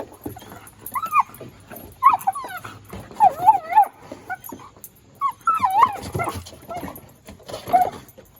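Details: Excited Collie Mr. Speckles plays ball on top of a children's playground, letting out clear, wavering high whines and short yelps in bursts every second or so, with quiet gaps between.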